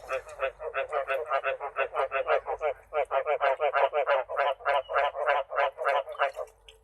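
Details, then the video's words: Frogs calling throughout a cage before breeding, delayed because there is not enough water; harsh croaks pulse about three per second in a steady run with a brief gap near the middle. "កង្កែបយំពេញទ្រុងហើយមិនទាន់បានបង្កាត់ ព្រោះខ្វះទឹក"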